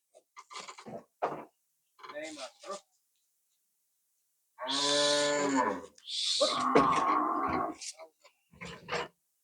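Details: Friesian cow, one and a half years old, raised from a calf of the farm's own herd and being sold from Rongdhonu Agro farm. It gives one drawn-out, deep, harmonic moo lasting over a second, then a breathy rasp, with men talking before and after.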